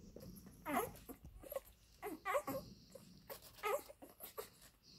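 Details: Labrador Retriever puppies of the F litter nursing from their mother Molly, one small puppy named Toni in a grey collar; short, high, rising whimpers and squeaks come in quick bursts about once a second over soft suckling and breathing noises.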